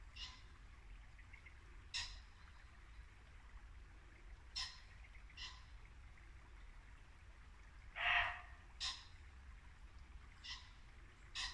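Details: Muntjac deer barking in Norfolk woodland at dusk in late winter: short, harsh barks at uneven intervals. One is louder and fuller near the eighth second. A babbling brook murmurs steadily underneath.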